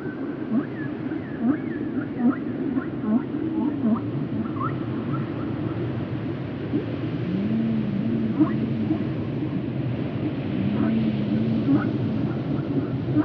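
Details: Whale calls used as relaxation sound: wavering, warbling moans around the low-mid range, with short rising chirps scattered throughout over a steady low rumble of water noise.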